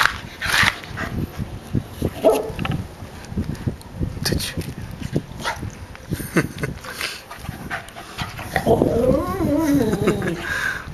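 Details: Eve, a female dog of unknown breed found as a stray, investigating a coconut crab in a yard on Guam: rhythmic breathy huffs and sniffs, then a wavering high whine near the end, with a person talking nearby.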